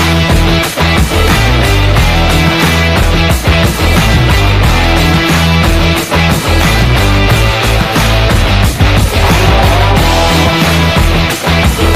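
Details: Loud, distorted rock music with heavy guitar fills the recording throughout, and no animal is audible.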